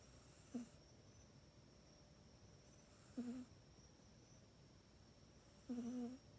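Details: Sleeping pet cat Mac in its own bed at night, captured on an iPhone 8; three soft, reedy snores spaced roughly every two and a half seconds, the last the longest and loudest, in an otherwise hushed indoor room.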